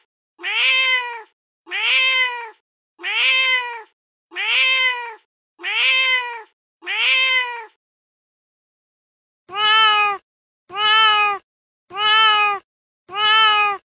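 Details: Real street cat meowing angrily on a terrace after being given cat food: six short arched meows in an even run, a brief pause, then four sharper, brighter meows at the same pace.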